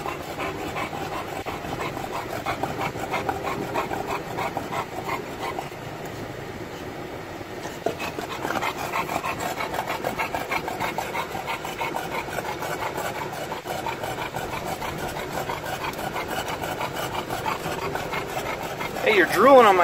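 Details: Olde English Bulldog riding along in a car on a sunny day, drooling everywhere; long run of fast, breathy rasping pants about three a second, fairly uneven, beneath constant vehicle hum and a brief squeak near the end.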